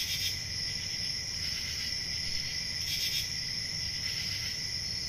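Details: Crickets on a peaceful country summer night: a steady high, shrill trill runs throughout, with a lower continuous buzz beneath and brief louder chirp bursts near the start and around three seconds, over a soft low rumble.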